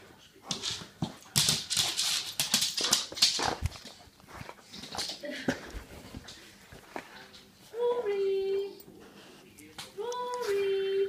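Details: Excited greeting from Rory, a Soft Coated Wheaten Terrier aged 18 months, indoors: scuffling, thumping and a voice at first, then two long, high, wavering whines near the end.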